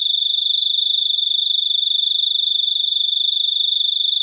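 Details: Unbroken shrill cricket song, presented as a super unique cricket sound: a high, steady buzz made of quick regular pulses, with no pauses and no background sounds.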